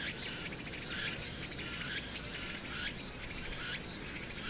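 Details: Cicadas sing in a steady, high buzzing drone with rhythmic pulses swelling about once a second, recorded on Hwangnyeongsan, Korea, on 1 August 2019 in summer with city noise in the background.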